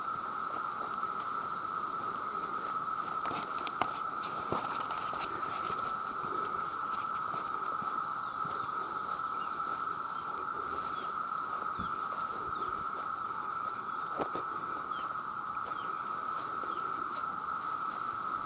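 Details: Millions of male cicadas call for mates in a continuous, even droning hum that holds one pitch for the whole stretch, with faint scattered clicks and ticks in the background.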